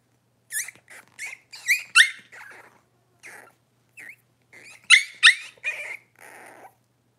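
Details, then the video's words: Six-week-old Cavalier King Charles Spaniel puppies indoors while being dewormed and having toenails trimmed; shrill, high squealing yelps come in rapid clusters of short bent notes, pausing briefly, then a louder burst before a final fading whimper. "6 Weeks Old: Puppies get dewormed and their toenails trimmed!"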